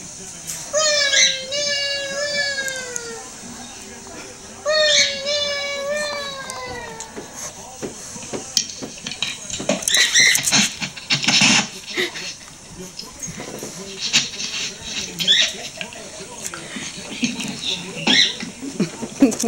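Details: Shelby, a female dog, joins in howling with a recording of herself: two falling howls in the first seven seconds, then scattered clatter, voices and household noise take over.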